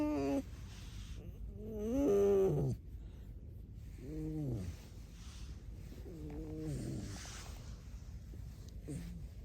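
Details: Alice the pet red fox making short wavering squeaks and whines, a louder rising-falling note near the start followed by softer groaning calls, with low background rumble.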